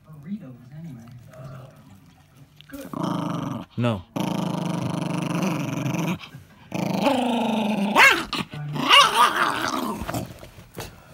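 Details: Ten-year-old male Jack Russell Terrier guarding his ball. Quiet talking comes first, then sustained low growls of about two seconds each, ending in louder, rougher vocal bursts mixed with a human voice.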